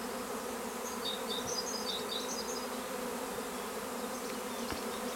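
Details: Honeybee swarm at Longué-Jumelles, heard as a constant droning buzz with layered low tones. Bright, quick bird chirps cluster early on, and a couple of faint clicks sound near the end.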